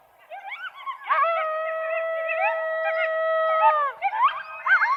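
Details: A single long, steady coyote howl held for nearly three seconds, flanked by quick rising yips and short warbles from other coyotes before and after.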